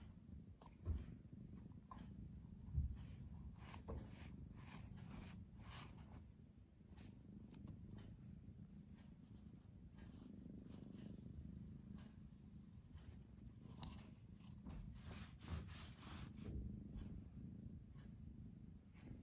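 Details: Pamuk, a pet cat indoors, torn between sleeping and playing, purrs in a steady low rumble that swells and fades with each breath, roughly every two seconds, with occasional soft knocks and rustling nearby.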